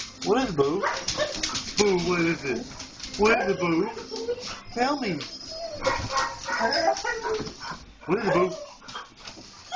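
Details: Several German Shorthaired Pointers react to a stray cat seen outside, giving excited high whines and yelps with rising and falling pitch in irregular bursts, with music and a person speaking in the background.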